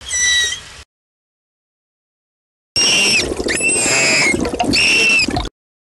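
Manatee giving high, squeaky chirps with harmonic overtones, some rising and some falling.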